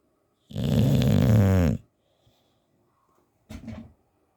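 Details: Teddy the English Bulldog, sound asleep, lets out a long, loud, rattling snore, then near silence and a shorter, softer snort two seconds later.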